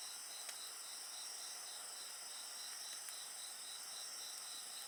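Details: Insects sing alongside a crackling bonfire. Continuous shrill trills overlap at several pitches, and one strand pulses in quick, even beats. A few soft snaps of burning wood break through the steady chorus.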